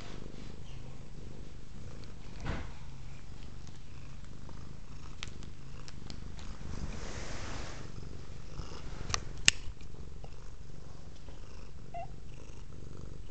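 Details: Domestic cat Velvet purring indoors while eyeing a cord hanging from the camera; an even, low rumbling purr persists throughout, with a soft breathy rustle near the middle and a sharp click later.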